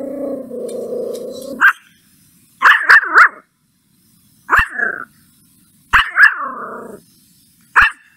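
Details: A puppy angry at a stranger gives a steady, rough growl, then sharp barks, single and in quick pairs or triples, with short silences between them.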